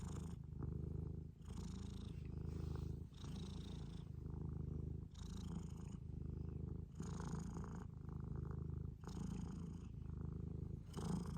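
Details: Domestic Scottish Fold purring, a deep buzzing rumble alternating between inhaled and exhaled phases about every second, each breath marked by a brief airy hiss, continuing evenly throughout.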